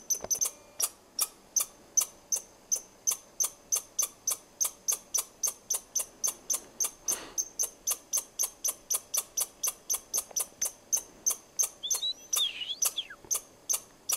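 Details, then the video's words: A squirrel chirping at the person recording gives sharp, clicky chirps, about three each second, in a steady unbroken run. "Squirrel Chirping"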